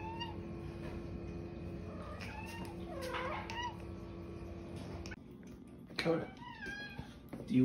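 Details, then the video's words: Female house cat meowing like "okay" while a person talks about treats and fish for lunch; a few brief bent meows, then a louder burst near the end, with room hum. "Talking Cat Says Ok"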